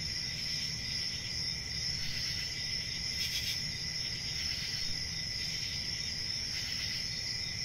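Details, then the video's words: Steady shrill cricket trilling, several insects overlapping in an unbroken high chorus, with faint low rumble beneath and one brief rustling burst. "Cricket Sounds"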